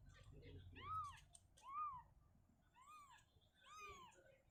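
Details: Indoors, mother cat Shizuka shifts her kitten away from a cabinet to open space; four evenly spaced rounded meows, roughly one per second, with faint low murmuring beneath.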